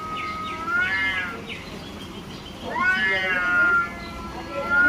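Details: Cat in a territorial fight, yowling in drawn-out, wavering wails with rich harmonics. A shorter rising wail comes first, and a long, loud yowl that rises and then falls follows midway, over low background hum.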